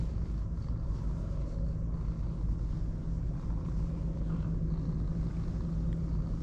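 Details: Ginger tabby cat duo, one darker and one lighter orange, purring contentedly under petting; steady deep throbbing hum holding level throughout, with little else audible.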